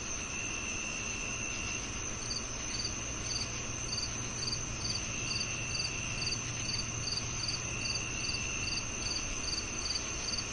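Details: Cricket chirps, quick high pulsed bursts that begin after a couple of seconds and then repeat in regular pairs, set against a steady shrill insect drone and a low rumbling hum.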